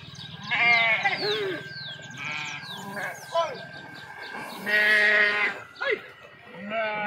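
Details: Sheep and kids bleating while jumping into and swimming in a river, several overlapping harmonic, wavering bleats of varied pitch, some short and some drawn out, with a steady tone and background noise throughout.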